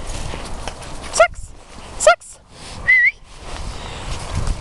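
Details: Patterdale Terrier named Sax, in rehoming care at RSPCA Macclesfield, at play: three quick, piercing yaps roughly a second apart, the last a rising whine-like bark, with low background murmur.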